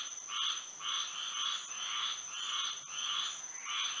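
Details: Frogs calling at night in Florida with moonlight; loud, raspy pulsed croaks in quick succession, roughly seven bursts in four seconds, backed by a continuous shrill high tone.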